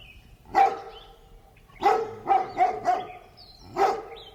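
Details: In a residential neighbourhood with birds chirping, a distant large dog barks: a single bark, then a quick run of four, then one more.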